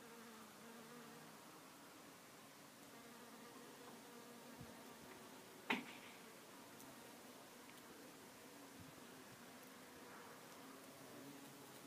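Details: A bumblebee at a single flower gives a low, steady droning buzz that wavers in pitch as it hovers, with one sharp click midway.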